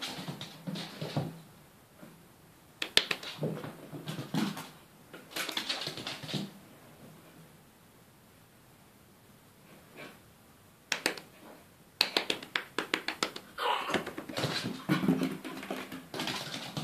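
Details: Schipperke indoors in a small room, panting in rough, breathy bursts that come in clusters separated by quiet gaps, with faint household hum beneath.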